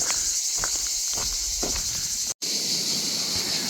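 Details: Cicadas along a green, shady canal-side trail sing in a steady, high-pitched, hissing drone that barely wavers in loudness.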